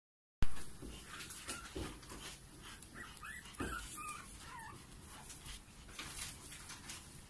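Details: Maltipoo puppies from a litter of five siblings give thin, high whimpering squeaks, short wavering notes scattered over a background of shuffling and handling noise, after an abrupt start.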